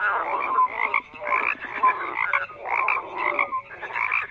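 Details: Frog croaks in bursts of rough, pulsed calling lasting about half a second each, with brief pauses between, several animals overlapping and occasional short whistled tonal notes.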